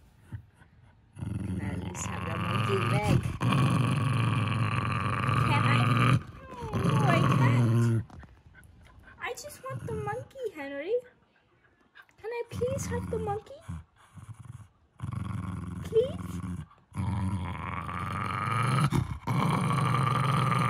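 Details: A Jack Russell Terrier guards his stuffed monkey with long, deep, rumbling growls in sustained bursts when a person asks for it and reaches for it. The person speaks softly in the pauses.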